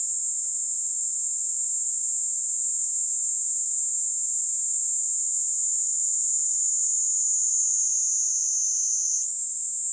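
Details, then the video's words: Kaempfer cicada perched on a hand in Kanto, Japan, in late July 2022, giving an unbroken high-pitched buzzing song that holds steady, then jumps slightly higher near the end; no other sounds stand out. "Singing kaempfer cicada on my hand"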